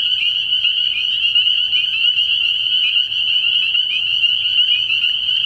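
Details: Spring peepers calling together from a frog pond at night early in the year: a dense, unbroken wall of high, shrill peeps merging into one steady ringing tone, with no other clear sounds.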